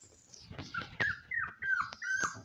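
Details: Shiba Inu puppy, smallest of a litter of three, lets out short high-pitched whimpers, three or four squeaky bent notes in quick succession, with soft thumps and rustling underneath.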